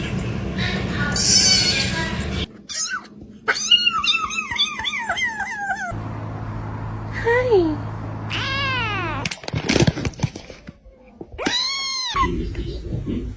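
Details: Kitten meowing: series of high, arched mews with rich harmonics, some quick and stacked, others longer and rising then falling, broken by patches of background hum and noise.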